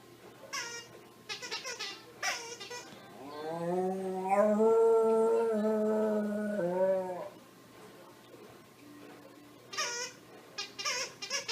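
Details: A dog making a cow-like moo: one long, low, drawn-out voiced howl lasting about four seconds, steady with a slight waver and a falling end, framed by shorter squeaky yelps before and after.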